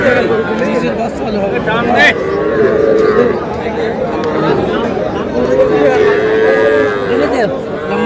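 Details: Cattle, small bull and heifer calves, at a busy livestock market in Rangpur, Bangladesh: drawn-out low moos rise from the herd amid constant crowd chatter and bargaining voices.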